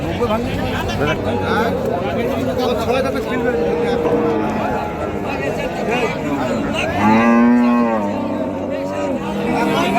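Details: Holstein Friesian cows and bulls at a livestock market, one lowing with a long harmonic moo near seven seconds amid steady crowd chatter and bargaining voices.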